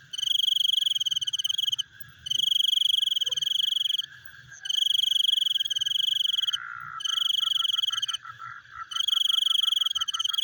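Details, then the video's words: Nighttime frogs making a chewing sound: four loud, high, rapid pulsed trills of roughly two seconds each with brief pauses, while a lower chorus of quick clicks continues throughout and briefly rises between trills. "The Sound of Frogs Chewing in the Night"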